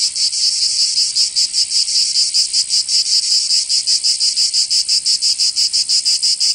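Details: Cicadas in summer in Provence, southern France, forming a dense, high, shrill buzzing chorus that pulses steadily about three to four times per second, with no other sounds.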